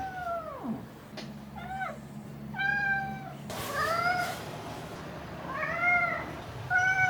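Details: House cat calling indoors during the week of 16–22 October 2021: a falling opening cry followed by a series of short, arched meows spaced a second or two apart, with a brief rustling noise in the middle.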